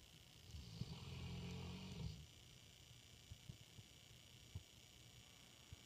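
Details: Sleeping female English Mastiff named Gemma lets out a deep, rumbling, humanlike snore of almost two seconds in the dark, followed by quiet breathing and scattered soft ticks.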